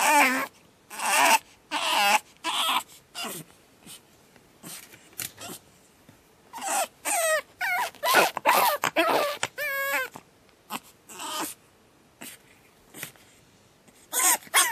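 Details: Pug puppy on its second night, screaming in a rapid series of loud, wavering, harmonic wails and yelps, bursts following each other almost continuously with brief gaps.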